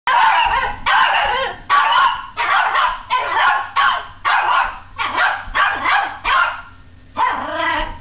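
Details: Yorkshire terrier barking at the TV indoors: a steady run of about ten sharp, high-pitched barks, roughly one per second, each short and bright, with brief gaps and no other clear sounds.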